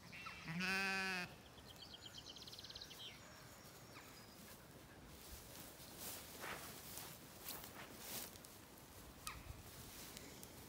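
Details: Zwartbles sheep, lambs and hoggets, in a field on a regenerative farm in County Kilkenny, Ireland, on an evening walk as swallows feed overhead; one loud, rich, wavering bleat lasting about a second, then brief high chirps and steady outdoor rustle.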